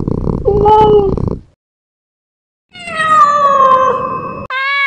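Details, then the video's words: Cat sounds for scaring rats and mice: a lower, rough, wavering meow, then after a pause a longer, plaintive meow that slides slowly downward and ends in a higher, clipped note. "Sound of cats to scare the rats"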